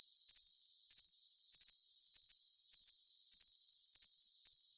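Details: Cricket chirps for tinnitus masking come in clustered double and triple pulses every half second or so. They sit over an unbroken, piercing high-pitched hum, with nothing heard in the lower range.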